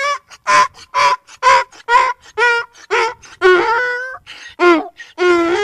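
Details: Real donkey producing a series of separate honking brays, each a short, nasal, harmonic blast, repeated about twice a second, with the later honks longer and dropping slightly in pitch.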